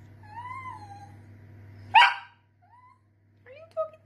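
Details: Sausage dog, a Dachshund, whimpering in thin, high, rising-and-falling whines. A sharp yip sounds midway, then short, soft whimpers follow over a steady low hum.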